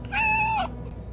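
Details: Former stray cat that had lived on the streets, crying when brought indoors while trying to get outside: a single loud, steady, clear meow about half a second long that drops at the end, over a low hum.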